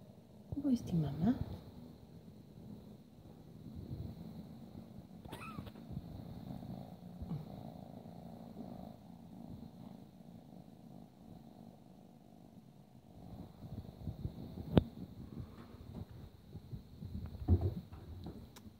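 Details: Ragdoll kitten, 12 weeks old, beside its mother: low rumbling purr running through, interrupted by a woman speaking softly and a few brief sharp knocks and rustles.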